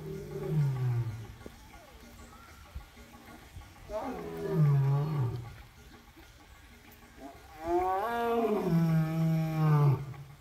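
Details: Male African lion at Southwick Zoo, wet mane, roaring: deep moaning roars rising then falling in pitch, three drawn-out calls with pauses between, the last longest.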